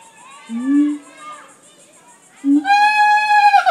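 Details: A siamang (Symphalangus syndactylus) at Jacksonville Zoo gives low hooting notes, then a loud, strident call rich in harmonics that swells and rises.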